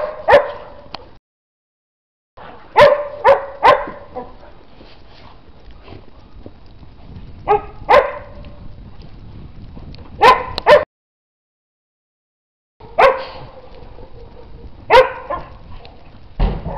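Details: Dog in snow giving short, sharp harmonic barks in irregular bursts of two to four, separated by pauses of several seconds, with some drawn-out whining tones between barks.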